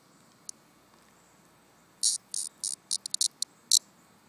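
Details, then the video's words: A summer cicada that has fallen out of its tree and is near the end of its life gives one lone click, then a stuttering run of short, harsh, high-pitched buzzy pulses over about two seconds in a quiet setting. "Summer Sound Cicada"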